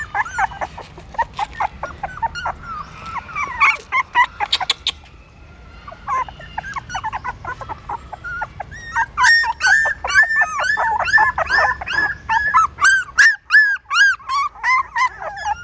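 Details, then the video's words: Several newborn puppies trying to suckle their mother's milk at a pagoda in Siem Reap, Cambodia; dense overlapping squeaks and whines, a quieter stretch midway, then a fast burst of high, bent whimpers repeated rapidly. "Amazing puppies sucking mom milk that is natural feeding"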